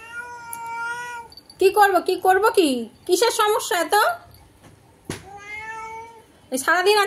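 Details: Pet cat at a window answering a cat outside: long, steady, flat meows alternate with loud, harsh, wavering yowls in short bursts, recorded indoors with little background noise.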